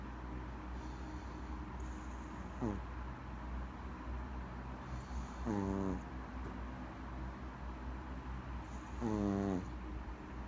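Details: Maltese puppy asleep and snoring: three short, nasal, harmonic snores with a slight downward bend, about three seconds apart, each paired with a faint bright high tone, over steady low room hum.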